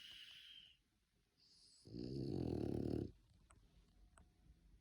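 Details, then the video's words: French Bulldog asleep and snoring: after quiet breathing, one loud rough rattling snore lasting about a second, low and buzzy, then fades to soft breathing with small clicks. "French bulldog sleeping and snoring"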